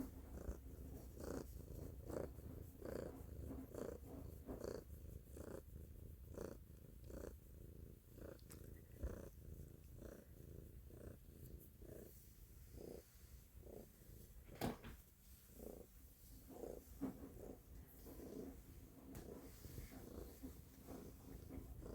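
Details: Loud purring from a house cat, a low vibrating rumble with rhythmic pulses a little faster than once per second, slightly uneven, with a brief soft click partway through.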